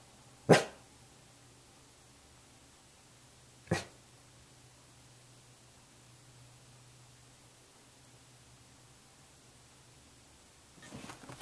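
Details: Weimaraner waiting and watching for its owner's return gives two single sharp barks about three seconds apart, followed by long quiet, then a soft rustling shuffle near the end in a quiet indoor room.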